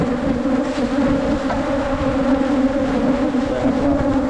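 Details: Wild Asian honey bees met during a 2022 honey hunt in Phunphin district: a thick, even, low-pitched buzzing drone from many insects that holds without pause for four seconds.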